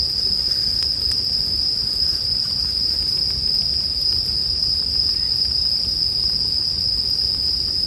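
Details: Continuous high-pitched ringing of bell crickets, even and unchanging, over a quiet low crackle of a campfire with only a few faint ticks of burning wood.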